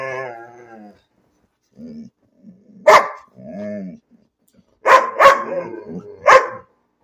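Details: Domestic dog barking without reason amid human talk: a single sharp bark, then a tight burst of three rapid barks near the end, with a person speaking in between.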